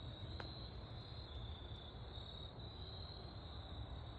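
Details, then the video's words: Crickets in autumn woods at golden hour, a steady high-pitched continuous trill holding one pitch throughout, over a constant low rumble and a faint tick or two. "Autumn crickets chirping in the woods during golden hour sun"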